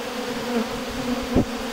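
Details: Honey bees at the hive, heard as a steady, droning buzz with a low humming pitch. A brief louder surge of buzzing swells near the end, then fades back into the even hive drone.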